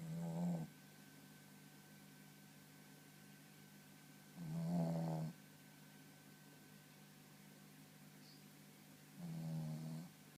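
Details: Loud snores from a sleeping male Shih Tzu nearly three years old, who reportedly cannot be woken: short buzzy inhalation snores recurring roughly every four to five seconds, separated by near-silent gaps.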